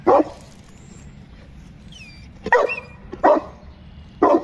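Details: Boerboel named Shaka, eight months old, giving four short deep barks spaced about a second apart over a steady background hiss, with faint high whistling tones between barks.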